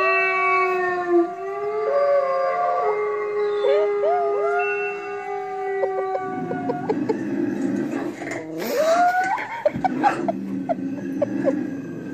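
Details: Rottweiler howling in response to TV sounds, with a Chihuahua joining in; long, sustained, wavering tonal howls that slide up and down, overlapping voices, then rougher, noisier howling toward the end.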